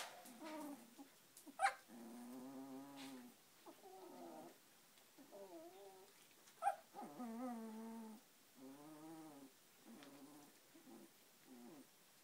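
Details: Samoyed puppies at 18 days old, finding their feet: repeated drawn-out harmonic whines, wavering and slightly rising, in a string of separate calls, with a couple of sharp clicks.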